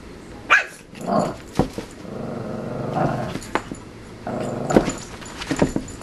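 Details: Shih Tzu puppy Yogi, wildly excited, bouncing in a playpen like a trampoline as Cricket looks on; low, rough growling grumbles swell and fade several times, mixed with sharp yips and thumps from the bouncing.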